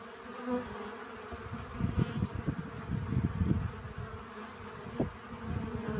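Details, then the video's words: Bees collecting pollen give an even droning buzz, partly masked by frequent low rumbling thumps and wind-like bursts, with a short sharp tone near five seconds. "Relaxing Bee Sounds. Сбор пыльцы."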